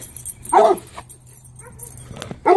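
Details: A Bluetick Coonhound bays at a skunk, which has just sprayed a dog, with two loud, short, hoarse barks about two seconds apart.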